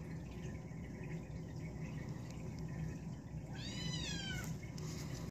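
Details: A blue male British Shorthair kitten born 29 December 2016 gives one brief, high, thin meow that slides slightly downward.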